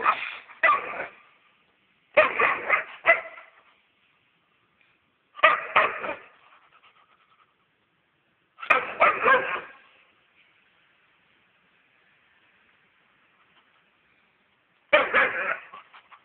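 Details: Weimaraner barking in short bursts of two to four sharp, harsh barks separated by pauses of about two to six seconds, with a quiet background.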